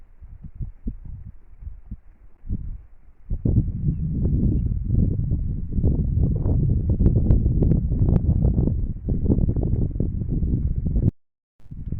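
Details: Low rumbling thumps and rustling knocks fill the recording outdoors in the mountains, with no clear animal voice heard.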